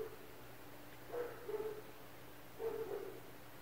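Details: Neighbours' dogs heard from inside an apartment, part of constant barking from surrounding homes; three short, muffled, distant barks spaced about a second apart over a steady low indoor hum.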